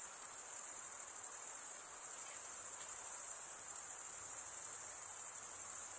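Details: Stridulating male crickets, wings rubbed together to make their chirp; a steady, piercing high trill fills the recording with gentle pulsations and no other background sound.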